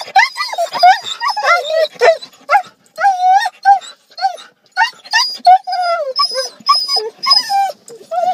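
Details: Siberian Huskies worked up on arrival at a dog park whine and yip in quick uneven bursts, short bending cries with a few longer drawn-out whines, with people speaking in the background.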